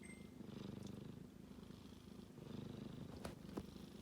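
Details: A sleeping kitten snores with a coarse, fast-pulsing low rumble that waxes and wanes, a brief faint high beep at the start and a couple of soft knocks near the end.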